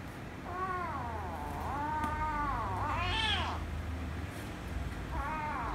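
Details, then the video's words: Ginger kitten and rescue kitten together, one angered before ending in kissing and licking: softer, lower meows in about four drawn-out arching calls, over a steady low hum. "Ginger Kitten Made The Rescue Kitten Angry, But Kiss & Lick Kitten At The End - Cats Meowing"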